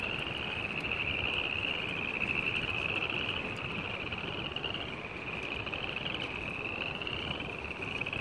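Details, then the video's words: A dense chorus of spring peepers on February 15, 2018, their high shrill peeps blending into one continuous ringing band. "Frogs beautiful music.. spring peepers 2-15-18"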